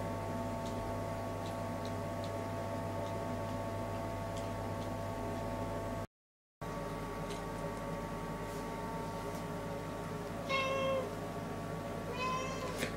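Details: A busy cat going back and forth in front of a toilet lets out a short, clear mew near the end, then a second that is cut off, after soft ticking and clicks against a humming room.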